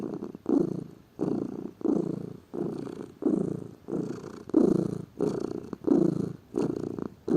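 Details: Domestic pet cat, said to be lazy, purring in a low, throaty rumble; evenly spaced pulses rise and fall with each breath, about ten cycles heard.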